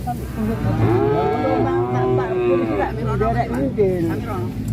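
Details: Giant black cattle kept by an Indonesian farmer give a long, drawn-out low moo that swells for about two seconds and then tapers, with background music playing throughout and faint voices.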